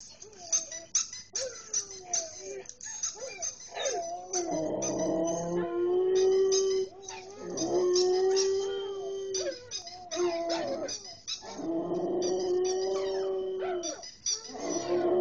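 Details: Curlin, a Samoyed, howling at another Samoyed: long wavering howls rising and falling in pitch, several drawn-out tones broken by short yips and whimpers, with a second voice joining between howls.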